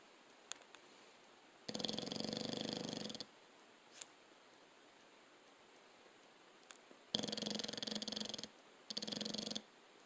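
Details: Snoring from a sleeping dog, one longer rattling breath followed after a pause by two shorter fluttering snores close together, over low steady hiss.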